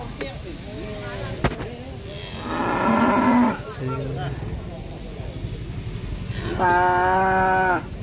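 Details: Jumbo cattle at a market in Indonesia, one running wild among traders; a low groaning moo mid-way is followed by a strong, steady, tonal moo lasting about a second, over constant crowd murmur and clatter.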